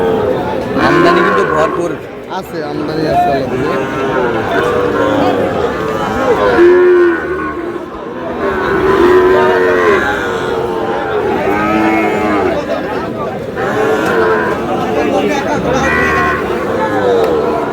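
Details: Sahiwal bull calves, about seven to seven and a half months old, at a cattle sale. Repeated drawn-out moos from several animals overlap throughout, some rising then falling, amid crowd chatter and bargaining voices.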